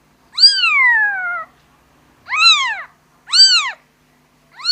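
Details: A kitten calls for its mother with a long falling meow followed by shorter arched mews at about one-second intervals, bright and high-pitched, against silence.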